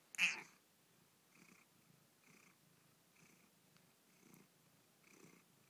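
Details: Female Angora cat protesting indoors because she wants to go out while it is raining: one loud, short, bright meow at the start, then soft, evenly spaced faint sounds repeating about once per second.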